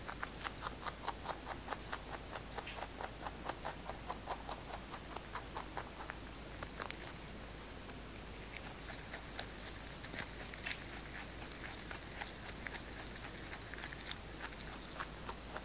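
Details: A large pet rabbit eating fresh basil chews steadily, making quick, crisp crunching clicks several times a second.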